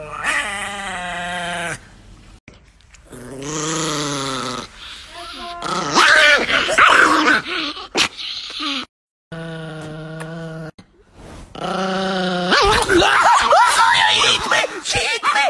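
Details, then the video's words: Angry Chihuahua named Nikki growling in bursts of harmonic rumbling snarls, broken by short pauses, with a woman speaking to the dog between and over the growls. "Angry Dog Chihuahua"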